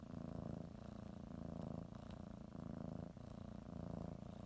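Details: Pet cat kneading and biting a blanket before her morning nap, purring continuously; low, throbbing rumble that swells and eases with each in and out breath, roughly every second.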